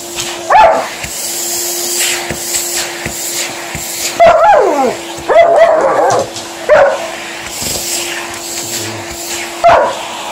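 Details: Alaskan Malamute Liza reacting to a hoover in action at home, giving sharp barks and a wavering, falling howl near the middle, separated by pauses, with the vacuum cleaner humming constantly underneath.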